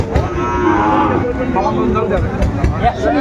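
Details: At a Dhaka cattle market on 20 January 2025, where Sahiwal bull calves are being bargained over, one calf gives a wavering moo lasting about a second, followed by shouting voices, clatter and crowd noise.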